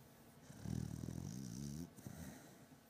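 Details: Beagle named Batman in deep sleep, snoring loudly: one long low rumbling snore with wavering harmonic tones, lasting over a second, then quieter breathing.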